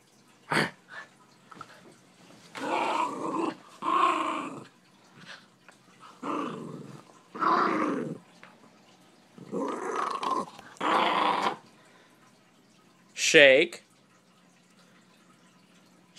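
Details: Miniature Schnauzer named Fritz playing with a deer antler on an unmade bed, giving repeated harsh growling bursts of about a second each, ending with a brief high yelp-like sound.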